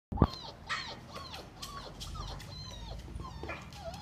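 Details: Labrador Retriever giving soft, high whines that slide down in pitch, several short falling whimpers in quick series over a low background rumble.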